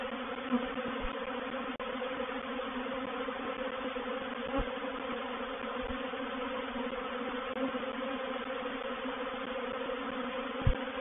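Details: Continuous massed buzzing of a reproductive honey bee swarm entering a swarm trap at Painted Peacock Manor on 04/07/21, a steady layered drone with occasional soft thuds.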